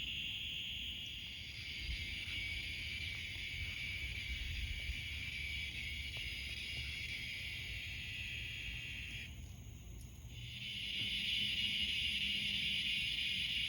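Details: Crickets chirp at night from pine trees in a dense, steady, high-pitched chorus of rapid pulses.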